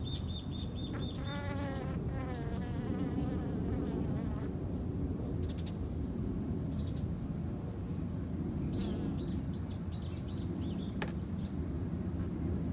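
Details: A backyard-kept colony of Japanese honey bees hums steadily and low throughout. A bird opens with a fast high trill followed by warbling notes, and later more bird chirps.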